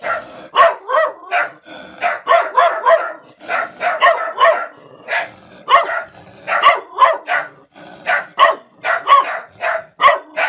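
A dog barks in quick, sharp bursts, the woofs coming in clustered runs with short pauses.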